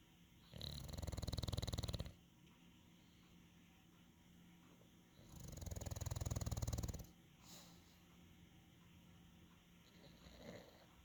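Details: English Bulldog. An English Bulldog gives deep, throaty snoring breaths, each a coarse rattling rumble lasting over a second. Two long snores come about five seconds apart, with softer breathing noises in between.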